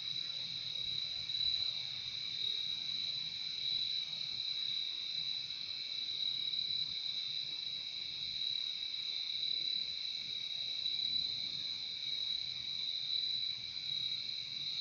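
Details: Crickets in a nature recording made for relaxation and sleep, giving a steady, unbroken high-pitched trill that forms two bright shimmering bands of sound, with faint low rumble underneath and no other animals heard.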